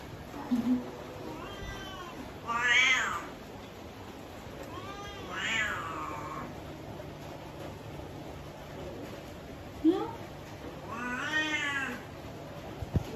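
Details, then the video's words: Several rising-falling meows from a domestic cat said to have an ugly voice come at irregular intervals, with brief squeaky chirps between the louder wavering cries, over a quiet indoor hum. "Kucing si suara jelek"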